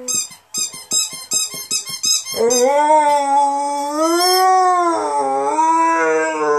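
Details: Zero, a rescue Saluki x Greyhound, joins in as a ball squeaks: about eight quick squeaks in a row come first, then his long, rising-and-falling howl takes over and continues to the end.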